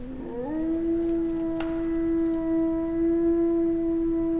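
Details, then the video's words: Wolves of a small pack in the Finnish taiga: a howl swooping upward at the start, then a long level tone with a second voice above, one brief click midway. "Wycie wilków europejskich (Canis lupus lupus) / Wolves howling"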